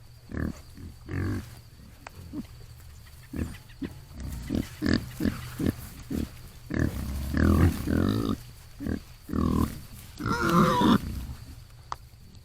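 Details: Feral hogs in the morning: a run of short, low, throaty grunts about four per second, uneven in spacing, building toward a louder, harsher squealing grunt near the end.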